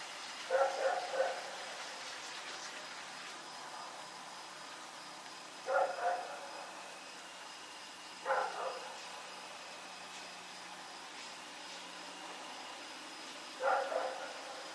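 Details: Rex, a dog running around in the night on October 7, 2018, barks in doubled and tripled bursts every few seconds, with faint steady tones humming behind.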